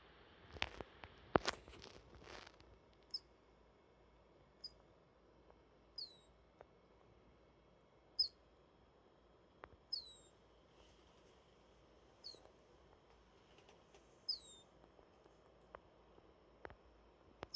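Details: Rio, a male pet degu, snoring while asleep and buried in a bed of timothy hay: thin, very high squeaks, some sliding downward, spaced one to two seconds apart after a few soft rustling knocks.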